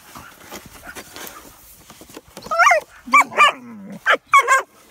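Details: Playful German Shepherd puppies tussling in snow while it is shoveled: scuffling at first, then sharp high yips mixed with a low rumbling growl, several quick bursts toward the end.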